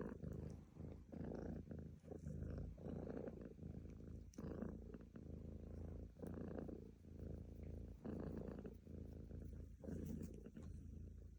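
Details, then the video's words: Close, low purr of a pet cat, throaty vibration rising and falling with each breath in even cycles of about a second, short gaps between bursts. "Cat Purring Sound Effect"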